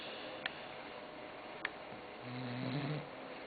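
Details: Croqueta, a sleeping pet dog, gives a single low, droning snore near the end, after a quiet stretch broken by two faint clicks in a small indoor room.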